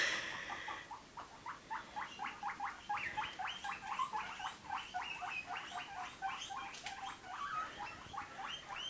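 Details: Several guinea pigs being caught quickly: a rapid, overlapping run of high, shrill wheeking squeals, roughly four per second, each short and sharply rising, continuing steadily with faint rustling beneath.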